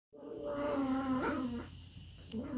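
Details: Aardvark giving a loud, continuous nasal whine with strong harmonics, holding steady, then wavering and dipping in pitch before tailing off, with a short rising note at the end.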